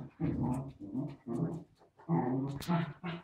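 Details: Charlie, a pet wire fox terrier, plays with an invisible ball in a small room. Low, rumbling growls come in five short bursts, each lasting about half a second, with brief pauses between them.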